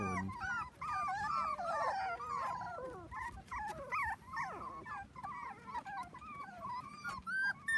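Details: Four-week-old Dachshund puppies, seven in the litter, at play with kids on a trampoline, giving a dense run of overlapping squeaky whimpers that wobble up and down in pitch, several voices at once, almost without pause.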